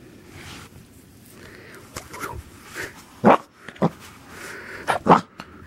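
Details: Linus, a corgi puppy, lunges at the camera he wants to attack, letting out four short, sharp yapping barks in quick pairs late on, with soft sniffing and rustling in between.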